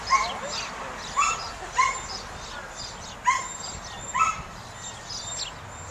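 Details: Samoyed during herding work, heard more distantly: five short, clear yipping barks with a rising-then-falling tone, spaced about a second apart against a hissy background.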